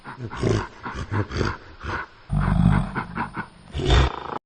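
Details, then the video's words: Gorilla making deep, rumbling growls and throaty grunts in uneven bursts, with one longer, louder roar in the middle and another rough growl at the end. "Gorilla Sound Effects"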